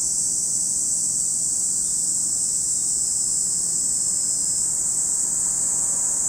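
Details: A steady, piercing wall of cicada buzzing fills the air at Lake Kamo, Sado City, Niigata Prefecture, Japan, holding one even high pitch without pause over a soft low background rumble.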